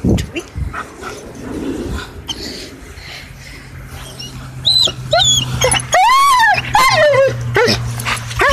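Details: German Shepherd during tug play: a low steady growling hum under scuffling, then loud, high, arching whines and yelps in quick succession in the second half.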